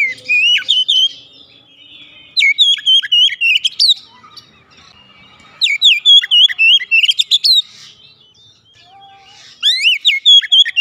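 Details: Oriental magpie-robin, a home-kept bird, repeats rich whistled song bursts of one to two seconds, four bouts with clean silent pauses between them; quiet setting.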